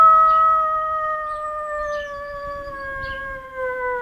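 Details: A male lurcher gives a long, steady howl that sinks slowly in pitch over four seconds.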